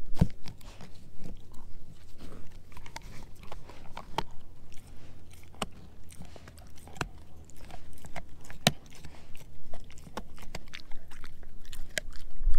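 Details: Edu, a German Shepherd mix, gnawing a dehydrated pig ear chew indoors: scattered sharp crunches and clicks over a low steady hum, with quieter rustling gnawing between bites.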